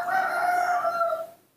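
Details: Newborn baby monkey calling for milk: one sustained, steady tonal cry with a clear overtone, lasting just over a second before fading out.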